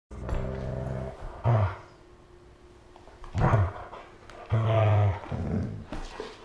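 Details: Siberian husky play fighting with a malamute while both lie on the floor, August 2014; three deep, harmonic growls in separate bursts, each about half a second, with quieter rumbling between them, indoors.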